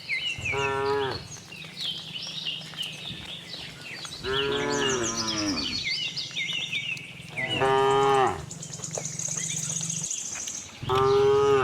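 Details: Herd of tame cows roaming on a cattle farm, searching for fresh grass; four moos of a second or so each, some bending downward, with steady low farm hum and bright bird twitters above.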